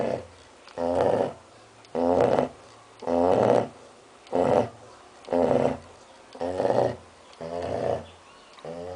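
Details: Six-month-old female Labrador Retriever named Mell snoring during a nap after lunch: steady rhythmic snores, about one per second, each a rough buzzy breath with a loud middle, separated by brief quiet gaps; no other sounds.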